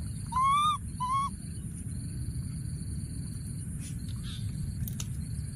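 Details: Wild baby monkey hiding in a thorny tree and calling for his friend gives two short, clear tonal coos, slightly rising then level. A steady high pulsing insect drone and low rumbling background follow.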